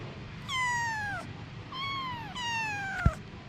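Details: Anna, a mother cat with her babies: three drawn-out descending meows in quick succession, the second softer, followed by a sharp knock near the end.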